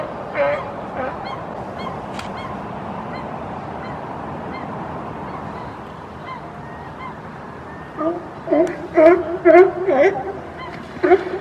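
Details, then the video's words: California sea lions on a crowded platform in British Columbia bark in hoarse, honking bursts, loudest in a rapid run near the end, amid yawning and sneezing, as one pushes another into the water. "Barking Sea Lions ~ California Sea Lion Pushes Other into the Water"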